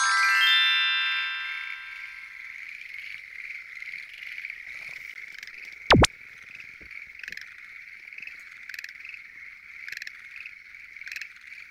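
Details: Night chorus of Schlegel's green tree frogs at a lotus pond opens under a fading musical jingle. Many frogs then keep up a continuous pulsing trill, with a sharp click near the middle and scattered louder bursts.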